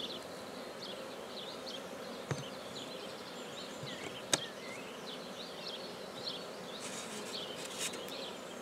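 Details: Black bees droning steadily at a newly established hive in Guernay, Côtes-du-Nord, with two sharp knocks, faint bird chirps and a brief rustle toward the end.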